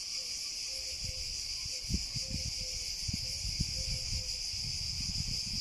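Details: Cicadas drone without pause at a high, even pitch, while soft short chirps and scattered low knocks sit in the background.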